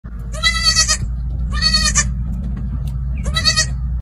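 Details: A baby goat gives three loud, quavering bleats, each about half a second long.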